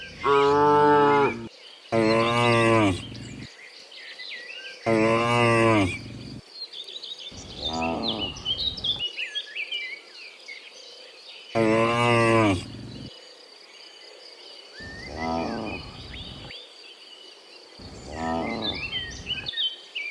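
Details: Cows returning from the fields to the pen in the afternoon, many animals mooing in turn: about seven drawn-out harmonic moos, some loud and some distant, separated by short pauses, with birds chirping throughout.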